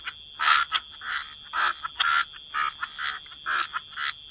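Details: Frogs at a wetland waterside giving short raspy croaks, roughly two per second with brief gaps between, a few fainter calls in between and a steady hiss behind.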